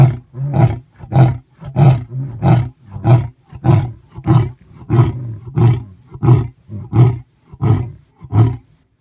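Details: At Thornybush Private Game Reserve, South Africa, a male lion roars in a long bout of deep, throaty, bass-heavy grunts, pulsing evenly about every two-thirds of a second with hardly a pause.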